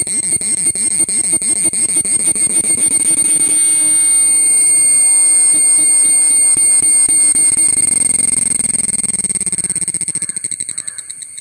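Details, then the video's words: Cicada recorded up close: a loud, steady, pulsing buzz with high whistling tones, throbbing rapidly throughout, briefly swelling in the middle, then fading and slowing toward the end. "Cicada sound up-close"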